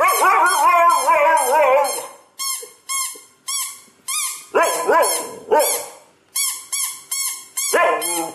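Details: Siberian Husky named Nyockyee, a growing pet dog, vocalizing in reaction to a sound: wavering, harmonic howl-like calls in two bursts alongside a regularly repeated high, beeping tone.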